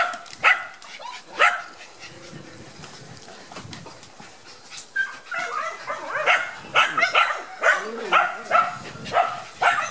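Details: Border Collie puppies from Gem & Sky, very shy on their first outing to the garden after their first vaccination, give short high yips and rising-falling whines, loose and irregular, louder and closer together in the last four seconds.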